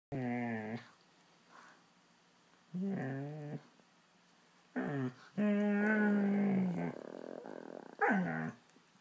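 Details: A female husky/German shepherd mix gives a run of drawn-out, wavering, talkative howl-grumbles while playing with her ball.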